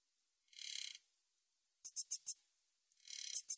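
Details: Min's bush cricket, 2020 National Institute of Biological Resources recording, producing a rasping half-second buzz, a quick set of four dry chirps, then another buzz ending in ticks; shrill, insect-like, otherwise quiet.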